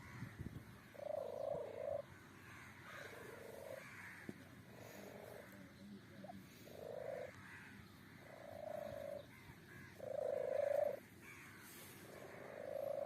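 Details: Kitten giving a run of short, soft, mid-pitched mews, repeated roughly every one to one and a half seconds, some louder than others, over a low steady background hiss.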